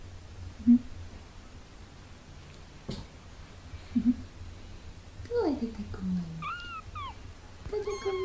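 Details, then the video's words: Two 17-day-old British Shorthair kittens meow indoors while learning to walk. Thin, high cries: one slides steeply downward, then short rising-and-falling squeaks and a steadier tonal wail near the end, with soft knocks and low room hum. "17 days after birth | Kittens Muffin and Snickers meowing and learn to walk"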